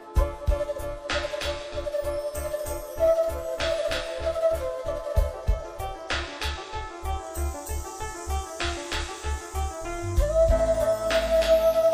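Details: Electronic keyboard music over a pulsing beat, with no cattle or other animal voices.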